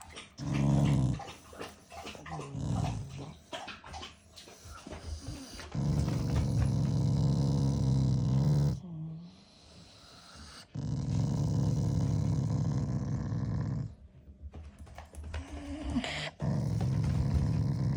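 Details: Shiba Inu growling at its owner as a show of affection, not anger; long low rumbling growls in sustained bouts of several seconds, with short breaks between them.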